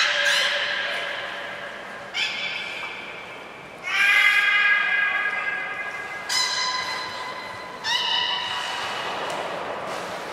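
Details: During training at Nagoya Port Aquarium on 13 April 2019, the beluga Nana gives a series of harmonic, reedy calls, one every two seconds or so, each starting abruptly and fading, with brief high squeaky bursts.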